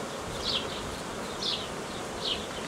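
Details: Honey bees of a swarm being cared for in a hobby apiary on 18 May 2018; a thick, unbroken buzzing hum, overlaid by sharp high chirps that drop in pitch, repeated about every second.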